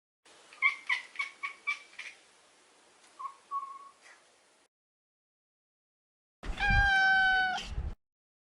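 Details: Maro, a neutered male Maine Coon house cat, makes a quick run of about six short, chirping mews, then two more. After a silence he lets out one loud, sustained, smooth meow lasting over a second.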